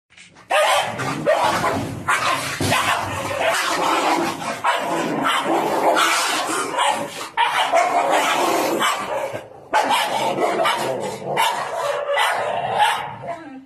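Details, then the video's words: Pitbull puppy and a German Shepherd dog fighting: dense, harsh barks, growls and yips overlapping almost continuously, with brief pauses near the middle and end, loud and close. "Pitbull puppy with gsd dog real fight"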